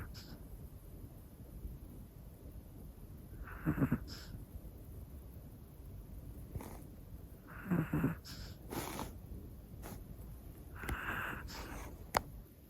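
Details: Hana, a one-year-old black female Pomeranian, snoring in her sleep: soft breathy snores roughly every four seconds, each a short rasping burst with a hissy upper edge, over a quiet room hum.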